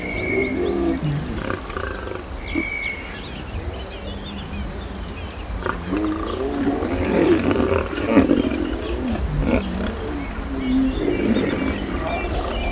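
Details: Lions in a mating ritual, seen up close, with the male keeping others away from the female. Low, rough growls build through the second half, after early whistled bird notes and quiet human voices.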